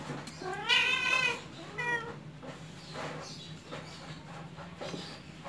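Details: Spoiled, playful Persian kittens, home-bred, giving a high, clear meow lasting about half a second, then a shorter second mew, with faint background hum and soft rustling.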